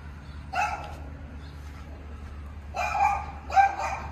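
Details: Tibetan Mastiff puppies giving three short, tonal yelping barks, one alone then a close pair near the end, with a low steady hum underneath and quiet gaps between.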